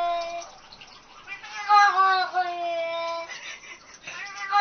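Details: Talking pet cat from a compilation of funny talking cats, giving one long continuous harmonic meow lasting over four seconds, wavering and swelling in the middle like speech, recorded indoors.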